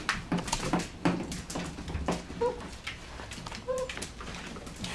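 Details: Nine-week-old Border Collie x Australian Shepherd puppies from a rescue in Minnesota, lively indoors: soft brief whimpers and small yelps among scuffling and clicks in a small room.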